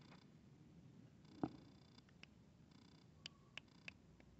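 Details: Quiet, close purring from a cat as a kitten plays with an adult cat, a soft low rumble with a single sharp tap midway and a few light clicks near the end.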